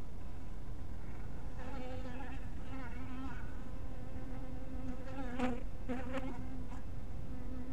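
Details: Honey bees scattered near a small hive in crepuscular light: a constant low buzzing drone, with wavering, brighter passes as bees fly close and a sharp burst of buzzing just past the midpoint.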